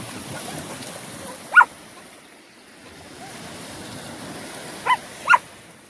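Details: One of three Australian Shepherds on a Sunday beach outing gives a single abrupt bark, then after a three-second gap two more clipped barks close together, with soft ocean waves rumbling underneath.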